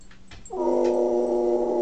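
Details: A male pet dog attempts a howl that its owner says sounds pig-like. After faint taps, a loud sustained tone with rich harmonics begins abruptly and holds steady, slightly wavering, for over a second.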